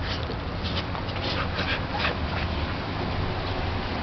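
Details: Corgi puppies about a month old, recorded Wednesday, January 20, 2010: short whimpering yelps in brief bursts, nearly buried under a loud, steady wash of background noise.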